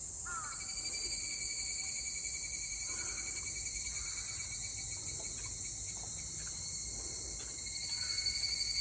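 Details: Evening cicada song recorded on 22 July 2022. The high, unbroken ringing chorus has several stacked pitches and swells slightly near the end. Soft short chirps appear now and then.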